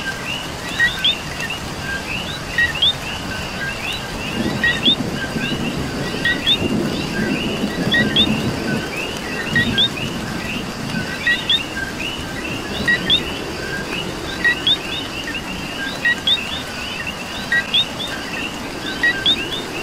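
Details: Coquis in the rain in Puerto Rico keep up a busy chorus of repeated two-note calls, a low note then a rising higher whistle, while rainfall hisses throughout and patters more heavily in the middle stretch.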